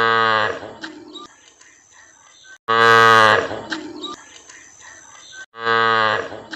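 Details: Cow mooing three times at intervals of about two and a half seconds, each low and harmonic-rich call lasting under a second and followed by quieter fading sounds.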